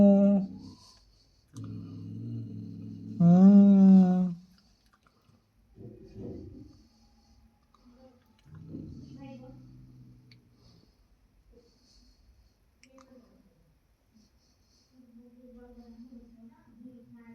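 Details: Male and female domestic cats in heat trade low, drawn-out moaning yowls that swell and fade.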